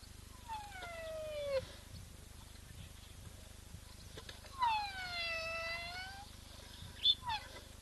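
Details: A massive rhino with a baby in the Eastern Cape, South Africa gives long, whale-like squeaks, each a harmonic tone sliding down then levelling; such sounds are more usual from tiny rhinos.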